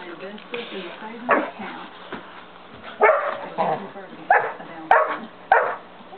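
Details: A 5½-month-old St. Bernard named Dozer barking indoors to get another dog, Simba, to play: loud, broad barks spaced roughly every half second to second, with a voice talking quietly in the background.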